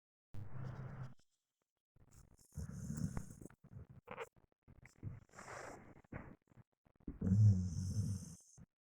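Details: Pet dog snoring while asleep: a few low, rasping breaths, each about a second long, separated by short quiet gaps, with faint hissing exhales.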